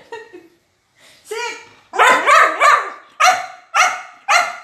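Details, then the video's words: Border Collie sounding off in a food review over her favourite chicken: a short whine, then a run of loud, clipped barks, several closely grouped and the rest spaced about half a second apart. "Talkative Dog Food Review Gone Wrong?/Border Collie"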